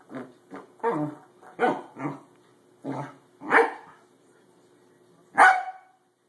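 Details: Trey the corgi barks at a springy doorstop he has just discovered and dislikes; short sharp barks and gruff yaps come in irregular bursts, with a longer pause before a final loud bark.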